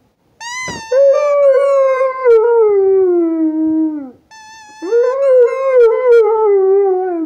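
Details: A Rottweiler sings to a squeaky toy, howling in long, sliding tones that start high and sink slowly, with a brief pause between.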